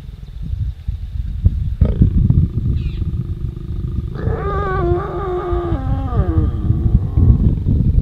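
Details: Pair of wild lions mating in Ruaha National Park, Tanzania, filmed close up; low rumbling growls build into a loud harmonic roar-snarl that holds and falls over about two seconds before trailing into grumbling, with faint background hum.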